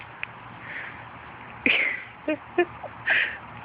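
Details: Four-and-a-half-week-old puppies on their first outing outdoors with their mother Fergie and half sister Miley give short high squeaky whimpers, two brighter cries near the end, between a woman's cheerful talk.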